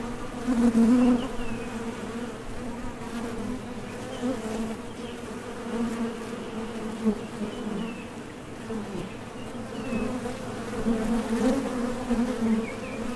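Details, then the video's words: At a top bar hive entrance, honey bees flying out for nectar and landing make a thick layered hum, swelling loud at the start and again later as individuals pass near, with faint higher chirps. "HONEY BEES Sound Effect #MasonJar | BEES BUZZING"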